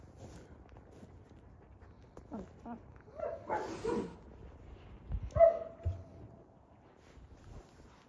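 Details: Three-week-old European German Shepherd puppies at a kennel give soft whimpers and a couple of squeaky yips. A louder, drawn-out whine comes near the middle, over low rustling and handling noise.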